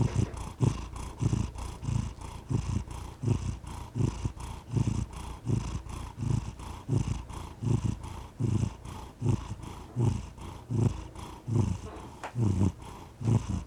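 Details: Cat purring steadily, a continuous low vibrating rumble that rises and falls in regular breath-paced waves, about 78 pulses a minute, sustained throughout with no other sounds.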